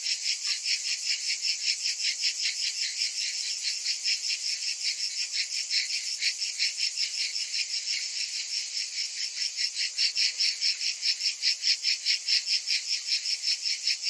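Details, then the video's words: Summer cicada chorus, a bright continuous rasping drone made of fast, regular pulses of about two or three a second that swell and fade, growing more strongly throbbing near the end. "Cicadas in Summer"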